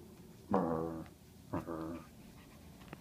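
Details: Six-week-old pug puppy growling while attacking in play indoors: two short, harmonic growls about half a second long, separated by a one-second pause, in an otherwise quiet room.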